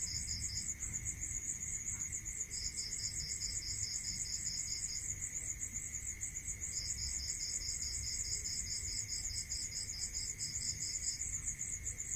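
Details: Crickets calling at night in a rural setting: an unbroken shrill pulsed trill overlaid by three runs of slower, slightly lower chirps lasting two to four seconds, with a persistent faint tone and low noise.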